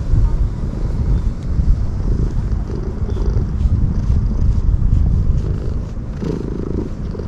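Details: Ear-tipped community cats living alongside homeless people, petted after feeding and cleaning and growing intensely affectionate. A steady low rumbling purr runs throughout, with a short mid-pitched murmur near the end.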